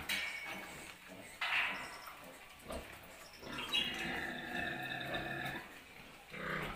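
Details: Farm scene of newborn piglets learning to breastfeed: a long, drawn-out harmonic squeal dominates the middle, with shorter squeaks before and after and soft grunting underneath.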